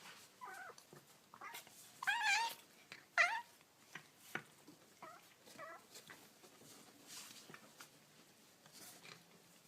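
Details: Young kittens meowing in a small room: a run of short, high mews with wavering, harmonic-rich pitch, some rising then falling, about one a second with uneven gaps, over soft rustling and clicks.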